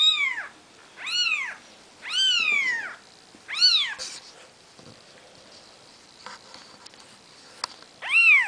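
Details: Nikita's four-day-old Maine Coon kittens, the seven dwarfs litter, cry in a quick run of four loud arched mews, fall quiet with faint rustles and clicks, then give one last mew.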